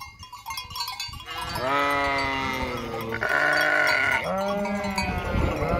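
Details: Sheep of a flock near the disused Hotel Fürigen giving long, loud tremulous bleats that overlap, one high thin voice over deeper ones.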